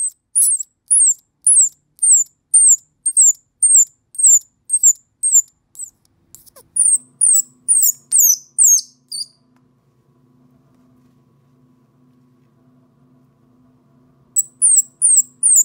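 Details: Orphan baby squirrel calling for its mother: rapid series of shrill, falling squeaks, a pause with a low electrical hum, then the high squeaks resume.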